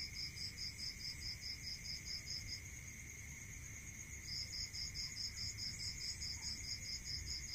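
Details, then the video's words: Crickets at night in a rural area: rapid, even pulsed chirps in long bursts with a gap of about two seconds, over a steady high insect drone and a lower continuous tone, with soft low rumble beneath. "Listening to Cricket Sound Natural meditation music"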